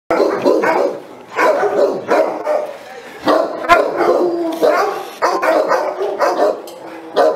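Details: Saint Bernard, a giant Swiss-Italian working breed, barking in a loud, rough, repeated series of about a dozen deep barks across seven seconds, with short pauses between volleys.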